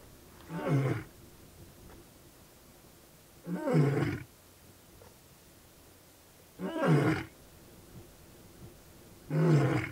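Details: A wild male lion in the Mara Triangle of Kenya's Maasai Mara, filmed in August 2017, giving deep grunting roars in a series, about one every three seconds, each a short low heaving burst.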